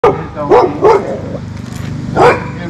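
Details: Silver Labrador Retriever, described as nervous and protective of his family, barking at the person filming: three short sharp barks in the first second, then a final bark after a pause, with low background noise.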